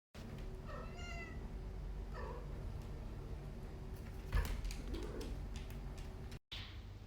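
A Sphynx cat makes a couple of brief meows, the first a bright, rising call and the second shorter and softer. A steady low hum and a soft thump sit underneath.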